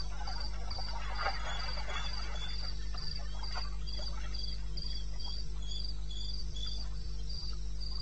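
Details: Crickets in the wilderness of eastern Botswana, 21 May 2016, 02:30 AM: a regular train of piercing chirps with a lower companion caller, a short burst of rustling early on, and a steady low hum underneath.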